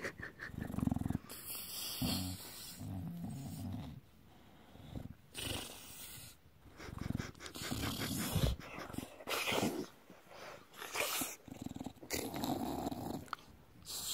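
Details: Belly-rubbed bulldog gives a low, pulsing rumble early on, then snorty, broadband grunts and rustling in uneven bursts.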